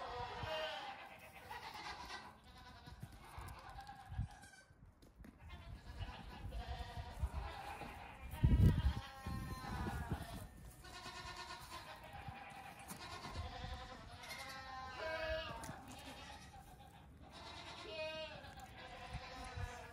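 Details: Goat kids nearing two weeks old, out for a short morning play session on a farm before resting in the sun, bleat again and again in quavering, harmonic-rich calls, with thuds and rustling of hopping below.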